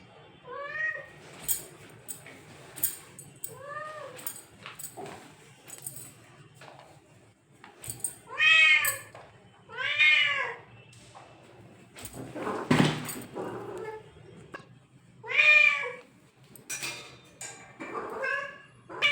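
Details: Domestic cat meowing in a series of short arched, tonal meows with rising-then-falling pitch, spaced irregularly, some paired, with a burst of clattering noise midway and faint background hum.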